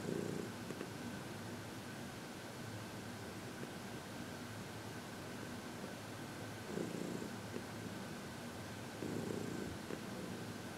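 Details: Happy senior cat Heidi, aged 14, receiving massage and reiki in February 2021; soft low purring with a few stronger swells near the start and again toward the end, over a quiet steady indoor hum.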